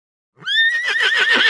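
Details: Horse neighing: a loud whinny that starts with a clear rising whistle-like note, then breaks into a rapid shaky, quavering whinny that holds steady to the end, with no other sounds.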